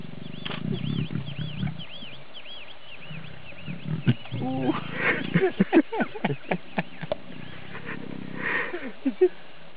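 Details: Lioness courting a male too tired to respond, Sabi Sands, South Africa: low, moaning growls and grunts swell and break off, while a bird repeats looping whistled chirps early on and sharp knocks punctuate the middle.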